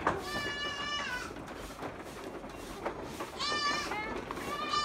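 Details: Goats on a farm letting out tremulous bleats, a long shaky cry at the start followed by shorter wavering calls near the end, against low background noise.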